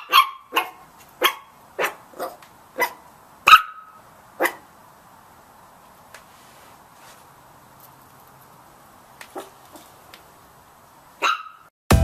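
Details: Puppies giving a quick run of about eight sharp, high barks in the first few seconds, then a long quiet stretch with faint yips and a final bark near the end.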